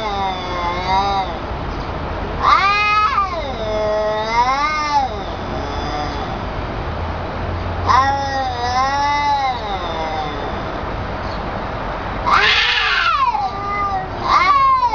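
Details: Cats fighting trade long, warbling yowls that climb and dip in slow waves, several bouts over fifteen seconds, ending in a harsh screech and a short rising wail.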